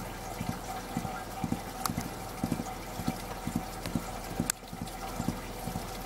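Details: A Mongolian gerbil stamps its hind feet, giving soft, low thuds in quick clusters about twice per second, with a constant background hum and a couple of sharp clicks.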